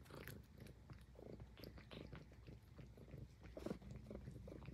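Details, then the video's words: Highland Lynx cat grooming, its low purr pulsing beneath quick, rhythmic licking and biting sounds in short bursts, all close up in a quiet room. "Cute Cat Purring and Grooming l ASMR l Highland Lynx Cat"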